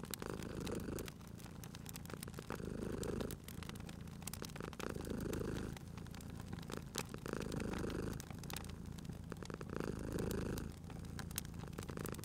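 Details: Sleeping cat purring by a crackling fireplace in a cozy spring setting, a deep steady rumble rising and falling with each breath about every two seconds, overlaid by snapping, popping wood fire.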